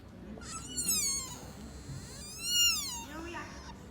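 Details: Sika deer fawn at Nara Park near Todaiji's Great South Gate, Japan, heard calling for the first time; two thin, high, whistled bleats that slide downward, each about a second long, with a softer third call and faint background murmur.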